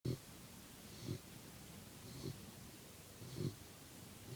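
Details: A sleeping puppy snoring softly, with four short, low, breathy snorts roughly every second over a quiet background hiss.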